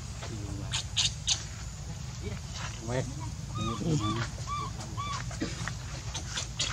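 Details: Baby monkey Leo, hungry and begging its mother for milk, gives a run of short arched whimpering cries, each rising then falling, several in quick succession midway, with sharp clicking bursts and a low steady hum behind.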